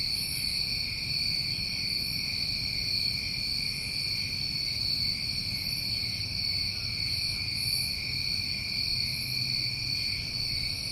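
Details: Crickets of a New England summertime, recorded outdoors: a dense, unbroken chorus of steady trills at several pitches layered together, with a higher, shimmering pulse returning every second or two over a faint low rumble.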